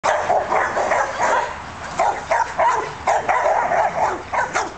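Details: Australian Shepherds bark in quick, repeated bursts with short yips between, one dog hiding behind a bush.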